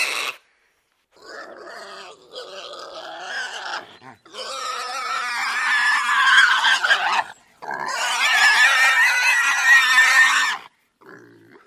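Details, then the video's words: Pig letting out long, drawn-out, piercing squeals, the first rough and wavering, then two sustained loud screams of several seconds each, ending with a brief softer squeak. "PIG (complete) - Sound Effect HQ"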